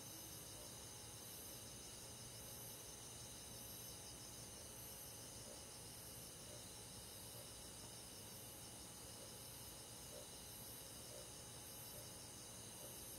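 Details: Summer-night forest insects with crickets among them, a countryside chorus: continuous high shimmering trills layered in several bands, softly pulsing, with a low steady hum underneath and no other clear sounds.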